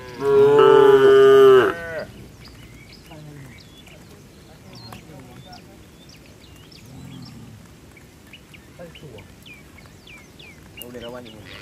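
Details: Tame cattle, part of a herd running to the barn during rain, give one loud, drawn-out, harmonic-rich moo lasting nearly two seconds. Quiet rustling, faint distant voices and background noise follow.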